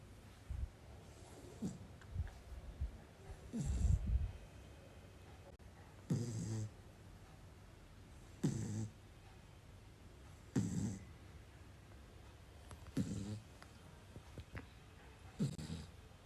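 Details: A sleeping two-month-old Labrador Retriever puppy snores: low, rough breaths come in soft bursts roughly every two seconds, each a short rasping inhale, with quiet pauses between and no other clear sounds.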